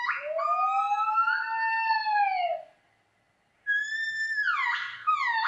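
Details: Gibbon giving a long, pure rising-then-level hoot, a short silence, then a higher whistled note that swoops down into a rougher ending.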